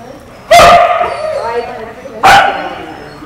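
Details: Female Australian Kelpie barking while tested on herding goats in the United States: two sharp, loud barks about 1.7 seconds apart, each with a ringing harmonic tail, over a quiet outdoor background.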